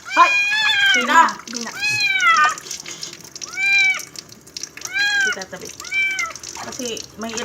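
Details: Kitten or cat during its first bath, giving loud arched meows about every second to two seconds, six or so calls in sequence, with faint water sounds between them.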